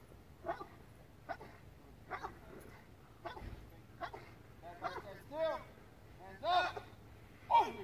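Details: A KNPV-trained police dog doing a bark-and-hold barks steadily in short bursts about once a second, the later barks louder, rougher and more whining, holding a suspect without biting; a faint voice may sound in the background.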